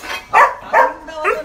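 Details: At its new kennel, a just-bought Rottweiler lets out three barks in quick succession, the last one softer and higher with a short whining tail.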